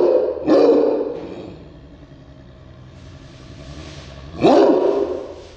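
Two loud, abrupt barks from a Cairn Terrier ring out, each a brief burst with a rough, ringing edge. A steady low hum, like a distant engine, fills the quiet gap between them.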